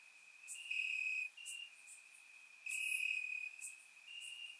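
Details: Warm summer night in Bulgaria with crickets in the grass: a continuous high, thin trill swelling into two louder chirping bursts, with faint sharp ticks overhead.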